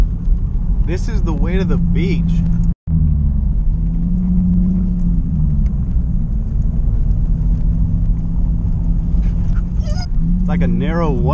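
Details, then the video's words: Stubborn Siberian Husky in a car, crying and complaining, impatient to reach Pfeiffer Beach: short bursts of wavering, yodel-like cries that bend up and down in pitch, near the start and again at the end, over a low, steady car rumble. "Impatient Siberian Husky CRYING To Visit The Beach"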